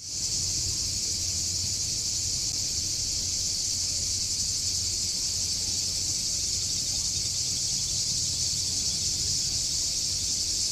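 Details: Cicadas in a park in Corfu, Greece, heard from a bench: a dense, unbroken high-pitched shrill chorus holding steady throughout, with faint low background hum.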